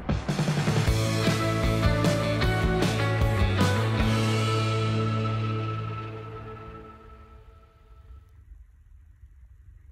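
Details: Strummed guitar rock music that fades out toward the end, with no animal sound.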